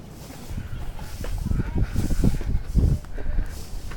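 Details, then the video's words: Lion roaring at a zoo: a run of deep, low grunting pulses, roughly two per second, swelling then easing off, with faint human voices in the background. "Lion Roaring"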